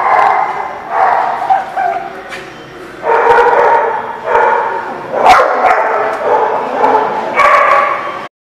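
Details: Barking dogs at The Barking Lot on 23 September 2016: repeated loud barks in roughly one-second clusters, overlapping and echoing, with several sharp clanks mixed in before the sound cuts off abruptly.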